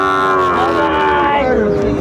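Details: At a cattle market in Manikganj, Bangladesh, 30 December 2024, a Sahiwal bull calf gives a drawn-out moo, steady at first then sliding lower, over continuous talking from the surrounding crowd.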